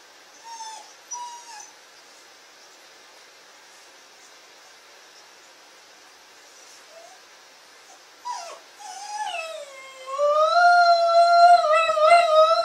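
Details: Shaq, a Shetland Sheepdog, as he began howling: soft, brief whimpers early on, a long quiet pause, then a wavering tonal howl that rises and swells loudly over the last few seconds.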